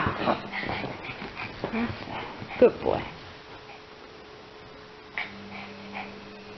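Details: Yorkshire Terrier helping with shopping indoors, letting out a few brief high whimpering yips in the middle, mixed in with human talk, then a low steady hum.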